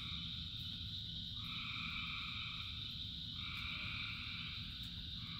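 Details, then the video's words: Rain-soaked frog chorus: a continuous shrill trill carries across the clip while longer two-tone calls swell and shift, all over a steady low wash of rainfall. "Frogs in Rain 2 Hours of Frogs, Thousands of Frogs Singing"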